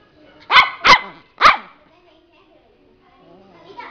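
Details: Miniature Pinscher dog giving three sharp, high barks in quick succession, the first two close together and the third after a short pause, followed by near silence with a faint voice at the end.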